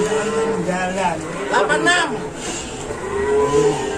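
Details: Cattle crowded onto an overloaded truck; drawn-out low moos open and close the stretch, overlapping with busy chatter and men's voices over a constant rumbling background.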